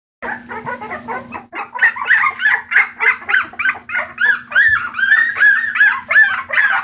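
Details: Bulldog puppies awaiting adoption at a rescue, recorded 28 March 2014, yelping and whining in a rapid, uneven string of short high cries that grow louder and more tonal toward the end, over a steady low electrical hum.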